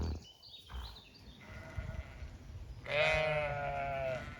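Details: Zwartbles sheep on a small regenerative farm in County Kilkenny, Ireland; a single drawn-out harmonic bleat rises near the end after quieter background bird chirps.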